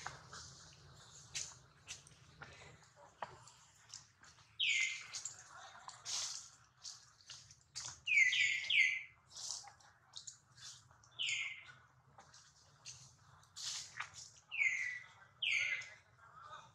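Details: Baby monkey Duke crying after being hurt while his mother Duchess worries; shrill squeals that slide downward, given in bursts, some doubled, scattered among softer clicks and rustling over a low background hum.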